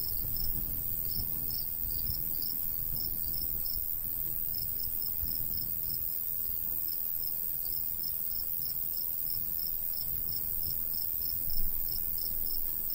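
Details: High, regular cricket chirps from a golden wheat field in summer countryside, pulsing in steady runs with a short lull near the middle, and a constant low breeze.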